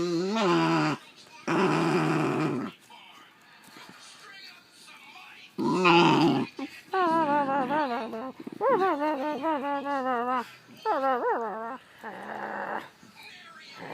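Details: A Basenji growls in tense, wavering, yodel-like bursts, its rough voice rising and falling, during a near-fight with another Basenji over a toy; the older dog is described as grumpy.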